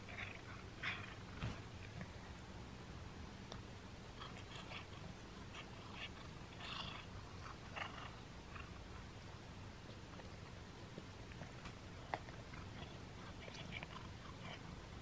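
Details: Pet cat chewing a pull-apart string treat for the first time, with a continuous low rumbling purr underneath and irregular sharp crunching clicks and smacks, denser early on, then sparser toward the end.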